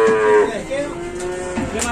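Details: Cattle at the busy morning market of Pasar Pon Ambarawa, Indonesia: a short moo that drops in pitch at its end, followed by fainter lowing and music in the background.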